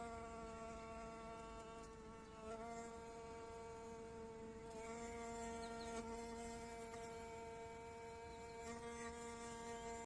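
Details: Bee-fly hovering at primula flowers in a garden in Bulgaria, a sustained, even, nasal drone with many overtones that dips briefly in pitch a few times, over a soft hiss of background noise.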